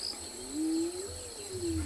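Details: Spotted hyena calling in the distance at Tswalu Kalahari Reserve, South Africa, on 19 January during a sunset game drive, unusually early in the day for it. A faint, low hooting tone slowly rises, then gently falls, under a steady thin high insect hiss.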